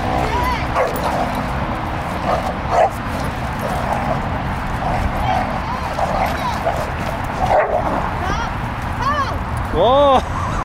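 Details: Dogs at a dog park, where a pair of schnauzers chase an Australian shepherd while a bullmastiff puppy named Rocket stays unbothered. Scattered barks and yips, with rising-and-falling yelping whines near the end, over steady people talking and outdoor noise.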